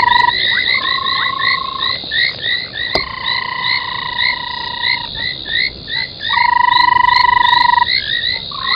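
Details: Night frog chorus at an old foam nest at Gowrie dam, Djuma Game Reserve in South Africa's Sabi Sand, 03:40 on 25 January 2021; many short upswept croaks tumble over each other while sustained even tones hum beneath, one sharp click near three seconds.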